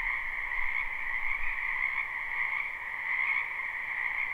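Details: Many frogs croaking together in a spring wetland, recorded live: a steady, buzzing chorus in high and lower bands, with a faint low rumble underneath.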